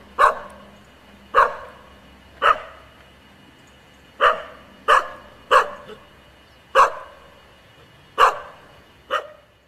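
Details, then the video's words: Female Icelandic Sheepdog giving a run of loud single barks, roughly one every second or so with a brief cluster near the middle, nine barks, low hum in the background. "Kaepa Barking"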